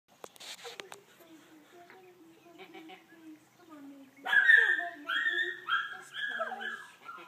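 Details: Domestic goat named Meg giving birth to a kid: soft low murmurs and a voice at first, then loud, high, quavering bleats repeated about once a second over the last three seconds.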